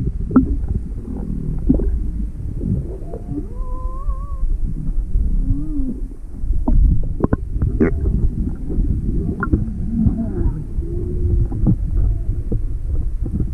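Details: Juvenile humpback whale off Maui on February 17, 2020, inquisitive and approaching with its mother nearby and the boat motor off; brief harmonic whistled moans, one wavering, amid dense low rumbling and clicking noise.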